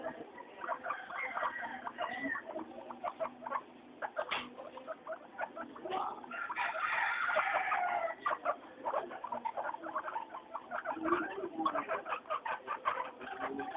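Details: Three pet guinea pigs, Mayumi, Archie and Miyuki, noisy and happy during their weekly floor time; dense chirpy squeals repeat rapidly, with a louder run of rising, swooping wheeks in the middle.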